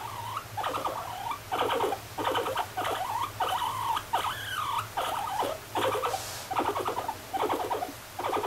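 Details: Pet guinea pig Moru-chan gives a long run of loud, warbling mid-pitched calls. Each bends up and down in pitch. They come in quick bursts about a second apart, with brief pauses, over a steady low hum.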